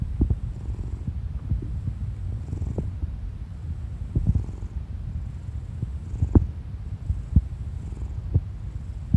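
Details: Steady deep rumbling purr from Kuri, a clingy orange tabby cat stretched out spread-eagle, punctuated by brief clicks and gurgling stomach sounds from the owner beneath.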